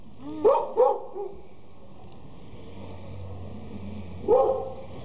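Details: Border Collie puppies offered for sale in Jalisco, Mexico: two quick high yipping barks, a short pause, then one more bark near the end, with a steady low hum underneath.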